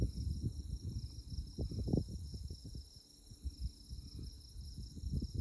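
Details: Insects chirping on a moonlit night in tallgrass prairie at Konza Prairie Biological Station near Manhattan, Kansas: a steady, high, rapidly pulsed chirping runs throughout beneath loud low rumbling and thumping noise.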